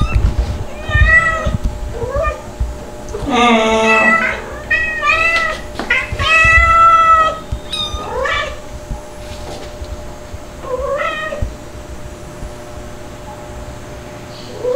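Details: Kittens Stuart (white, Dalmatian-spotted, calico Mel's baby) and Lunar (black, Pepper's baby) playing, July 2022; a run of high, bent meows, some short and some drawn out, comes in bursts with quieter gaps and thumps from play.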